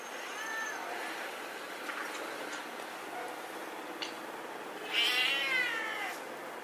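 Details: Cat (Felis catus) fighting yowl: a loud, wavering, high-pitched yowl of aggression during a fight between cats on a road.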